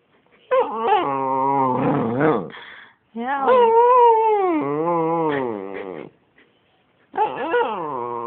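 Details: A dog making funny noises: long, wavering, whining howls that rise and fall like talking, in three drawn-out bursts separated by short silences, with a person scolding in German nearby.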